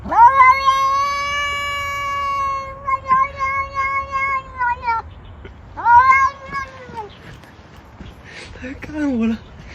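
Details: A cat makes strange sounds, as if trying to say something in human speech: a long, steady, drawn-out wail held about five seconds, then a shorter call that falls away, with quieter sounds and a brief low sliding voice near the end.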